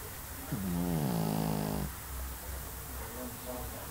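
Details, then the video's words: Sleeping Pekingese gives one clear snore, a harmonic nasal whine that dips and then slides gently downward over about a second, followed by quiet breathing and a faint second wheeze over a low background hum. "snoring dog - pekingese"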